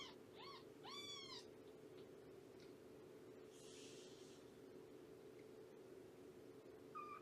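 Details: Shelby, a roughly two-year-old rescued cat at Purrfect Pals whose kittens are about three months old, during a morning visit: three or four quick, arching meows in the first second and a half, then steady indoor hum and one faint closing mew.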